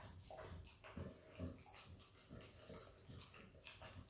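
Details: Female Australian Kelpie x Border Collie puppy eating peanut butter, recorded up close: wet licks and smacking chews in quick uneven bursts, with low thumps under the mouth noises.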